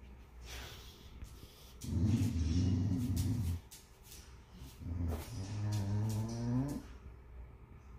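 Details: A male boxer dog 'talks' to a miniature schnauzer puppy in two long, low, groaning moans with a wavering, throaty tone.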